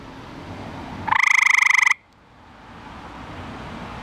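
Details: Male eastern gray treefrog, Hyla versicolor, calling for a mate at night after being found in a backyard pool; one loud, fast-pulsed musical trill lasting under a second, then quiet background hum.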